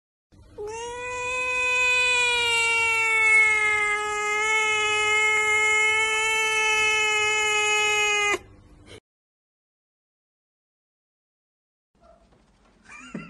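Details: Cat in a funny compilation giving one long, drawn-out, steady yowl of about eight seconds, rich in harmonics and barely changing in pitch, followed by silence and faint noise.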